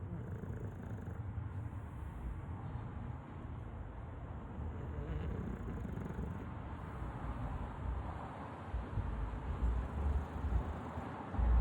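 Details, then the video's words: Tired bulldog asleep and snoring: a steady low, rough rumble of breathing runs through the whole stretch, with a few louder snorts near the end. "Hear me snore"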